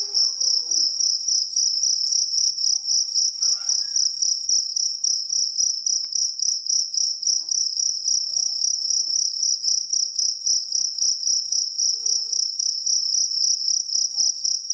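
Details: Loud, unbroken, high-pitched chirping trill of a jangkrik kalung cricket, pulsing rapidly and evenly for the whole stretch, with faint soft background sounds below.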